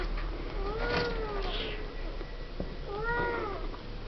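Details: Siamese kittens aged seven weeks in their pen, out of Misty and Willow; two drawn-out arched meows about two seconds apart, each rising then falling, over a low steady hum.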